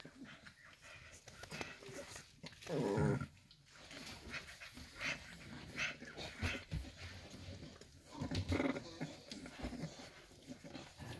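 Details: Staffordshire Bull Terrier puppies from a 54th litter, just six weeks old, recorded 11 December 2023. A short, low rough growl rises near the third second, followed by scuffling, thumps and softer yips during play.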